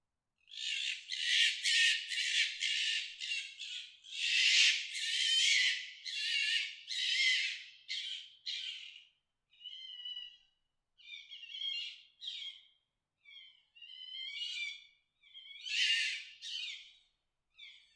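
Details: Fox giving its mating call: a run of harsh, raspy, high screams, each about a second long, that come close together and then break into shorter, thinner squeals with gaps of silence between them.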